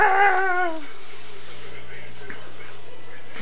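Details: Five-month-old Shih Tzu puppy playing indoors at home gives one short descending whimper or whine, fading after under a second, followed by quiet room hum.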